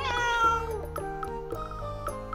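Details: A hungry female Russian Blue cat gives a drawn-out, tonal meow with a falling end, protesting as her owner leaves and asking for food.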